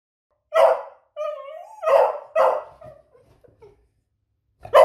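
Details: Smudge, a female beagle, gives sharp, ringing barks with a brief rising whine between them, asking for a treat.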